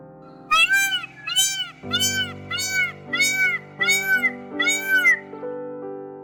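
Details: Domestic cat meowing: seven arched, wavering meows follow one another about every 0.6 seconds, each rising then falling, over a steady bed of background music.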